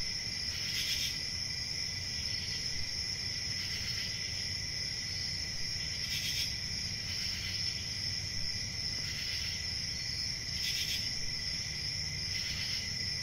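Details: A continuous ringing cricket chorus punctuated by short, louder pulses recurring every two to three seconds, with a dull low rumble beneath.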